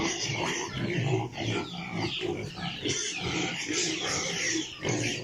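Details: Piglets at a pig farm: dense, overlapping grunting and snuffling from several animals, with steady noisy background throughout.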